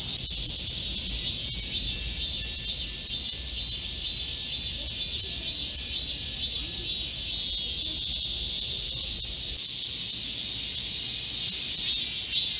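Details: Korean cicadas singing together in a green forest at the height of summer, 25 July 2024, in a heatwave. Shrill buzzing throbs in regular beats, about two per second, over an unbroken high hiss.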